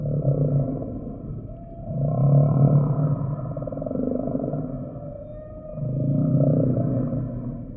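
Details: Humpback whale song sample: deep, loud groaning moans rising and fading in slow waves, one swell every few seconds, with a thin higher tone above.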